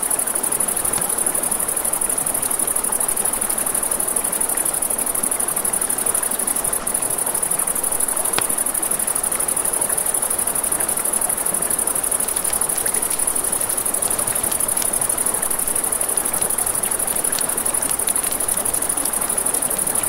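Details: Crickets trilling through the night by a river, an unbroken high, rapid, buzzy pulse. Low river rush and scattered campfire crackles fill the background, with one louder snap of burning wood.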